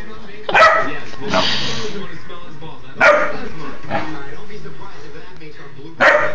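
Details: Great Dane puppy reacting to beer bottles it dislikes, giving short harsh barks about every one to three seconds, with a person's voice asking a question between them.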